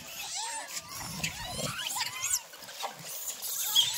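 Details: Monkeys being fed, giving a dense chorus of short squealing calls that sweep upward and overlap one another, over steady rustling in the background.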